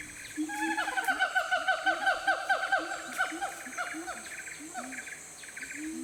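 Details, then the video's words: Siamang in the remote forest of Aceh, Sumatra, giving a rapid run of harmonic whooping notes that quicken and rise, roughly two per second, then fade into lower scattered hoots, with constant insect drone behind. "Siamang Sumatera"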